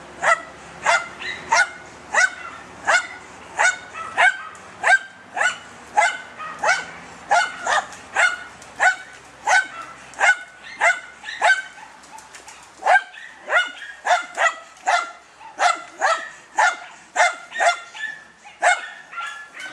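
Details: German Hunting Terrier named Dunja, hunting wild boar: sharp barks repeated steadily, about one and a half per second for twenty seconds, briefly faltering near the middle before resuming at the same pace.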